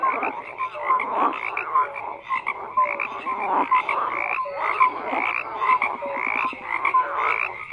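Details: Crowded frog chorus of rasping croaks and short tonal chirps, swelling and dipping in loudness, continuous from start to end without other noises.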